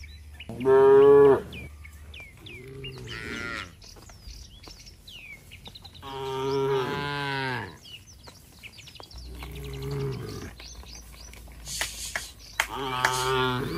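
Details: Tame cattle herd returning to the shed in an Indonesian village, calling to each other: several drawn-out harmonic moos of a second or two each, separated by pauses, with thin bird chirps above.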